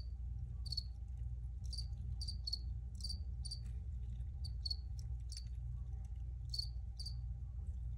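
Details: Cricket chirps ring out high and short, in loose groups of two or three with gaps between, set against persistent low background noise.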